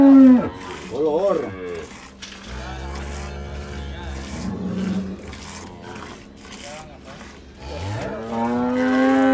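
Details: Dairy cattle at a farm in El Salvador: a wavering, quavering moo at the start, a long low drawn-out bellow in the middle, and a rising moo at the end, over steady barnyard background.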